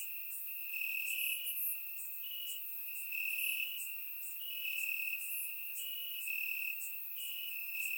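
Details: Night crickets in summer grass in Bulgaria keep up a continuous shrill trill that shifts slightly in pitch, while higher insect buzzes flare up in short bursts every second or so over a quiet background.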